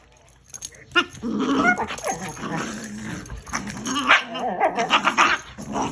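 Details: Dogs wrestle on a bed with rough, continuous play growling and grumbling, broken by a few higher yelps near the end. The bedding rustles and thumps.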